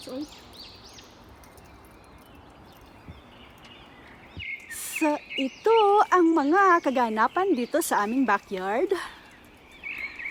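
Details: Coyote at a ravine in snow-covered country: after several quiet seconds of low background hiss, a burst of high, wavering yips and quavering howls pours out in quick overlapping runs, then fades.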